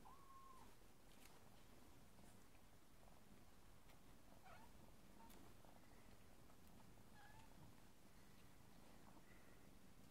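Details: Birman mother cat, a sacred cat of Burma, with her kittens following her; a soft, steady low purring rumble runs throughout, broken by a few faint, brief mews.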